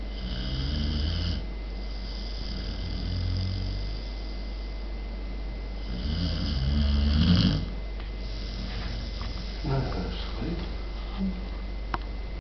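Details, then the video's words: Poppy, a German Pointer puppy sleeping in her bed indoors, snores in low, rasping, buzzy breaths with a harmonic drone. Three drawn-out snores come roughly three seconds apart, followed by softer breathing over a constant electrical hum. "German Pointer Snoring Away!!!"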